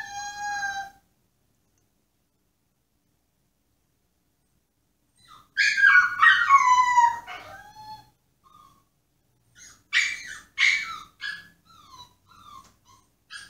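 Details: Pomsky in a cage throwing a tantrum to be let out, indoors: a short high whine, a long gap, then loud wavering howl-whines with falling harmonic tones, followed by several shorter rising and falling whimpers.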